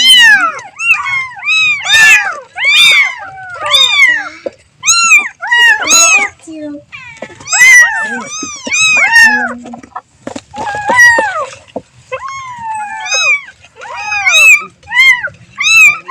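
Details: Kitten crying for its mother in loud, repeated mews, short arched cries coming in fast runs of two to four with brief gaps between them, continuing throughout.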